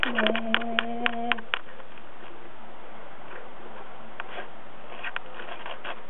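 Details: A Basenji puppy begging for food opens with a level, nasal, droning whine lasting about a second, mixed with a few sharp clicks. After that, only faint room noise and small knocks remain.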